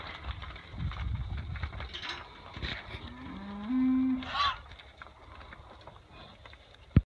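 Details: Hereford heifers during spring calving on a ranch; one low, steady moo of about a second rises slightly then holds, amid rumbling and scuffing farm noise and a brief sharp knock at the end.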